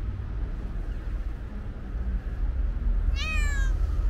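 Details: Stray calico cat with white paws, outdoors with other cats, gives one short rising-falling meow near the end, thin harmonic stack, over steady low traffic rumble.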